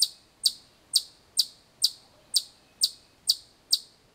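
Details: Chipmunk calling loudly: sharp high chips repeated about twice per second, evenly spaced, each a brief bright note, with quiet background.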